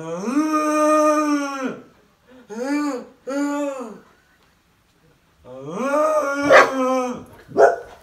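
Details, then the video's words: Pet Bernese Mountain Dog interrupting the cow challenge with drawn-out, rich harmonic howls: a long steady one, two short arched ones, then another long howl broken by a sharp bark near the end. "Bernese Mountain Dog doesn’t like the cow challenge"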